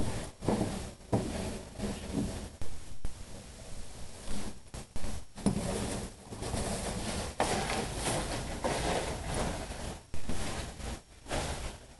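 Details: Irregular scraping, rubbing and thumping of objects indoors comes in uneven bursts, with no barking, growling or other animal vocal sound.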